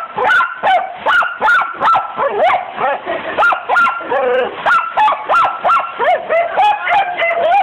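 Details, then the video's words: Pet dachshund Buddy going wild at a hose-sprayed window, licking and trying to bite through it; a steady run of sharp, shrill yips and barks, several each second, with a splash of water and voices beneath. "Our dachshund Buddy going nuts licking and biting the window being squirted with hose water!"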